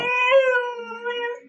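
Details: Tied-up pet dog, responding when addressed, giving a short, even, harmonic moaning 'talking' note that slowly fades, with faint background sounds underneath.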